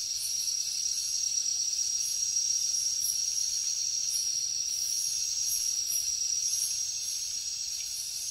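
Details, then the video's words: Jungle crickets calling at night: a sustained, thin high-pitched ringing with quick repeated pulsing buzzes riding above it, steady from start to end. "Insects sounds | Cricket sounds |Jungle night"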